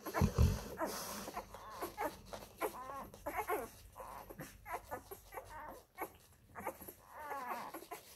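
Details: Molly, a Labrador Retriever mother, nursing her F-litter puppies. A low thump opens, then the puppies give repeated short whines and wavering squeals, with a longer warbling cry toward the end amid rustling.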